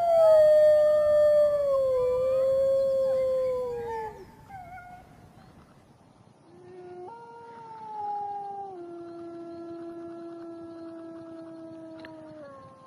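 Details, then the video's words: Full moon in the jungle brings howling from wild grey wolves: a long, smooth howl slowly descending, a pause, then another steady howl stepping down in pitch with a faint second voice. "Wolves Howling Sounds in Wild Life | Wolf Howling"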